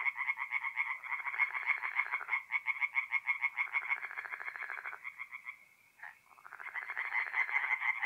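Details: Mid-April night chorus of tree frogs at a forest pond in north-east Italy, dense, harsh pulsed croaking from several callers overlapping in fast rhythmic bursts, briefly dropping away before resuming strongly.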